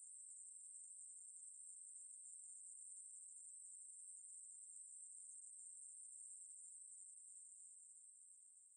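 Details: Unbroken high, hissing buzz of a Ruspolia katydid in a 2020 National Institute of Biological Resources recording, steady for most of its length before fading out at the very end.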